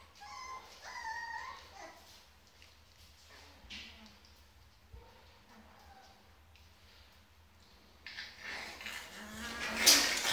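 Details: Rottweiler puppies waiting for their owners: thin, high, wavering whines in the first two seconds, then a few fainter whimpers, with rustling and handling noise near the end.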